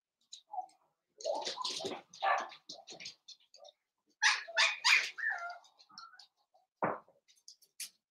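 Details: Blenheim Cavalier King Charles Spaniel puppies playing with their mother indoors, a litter of five born on New Year's; scattered short yips, squeaks and scuffling bursts, with a louder cluster of yelps midway.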